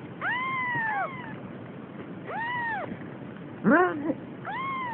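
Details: Almost three-week-old Siamese kitten exploring and afraid, crying four short arched meows in quick succession, one broken and wavering, with a faint low hum underneath.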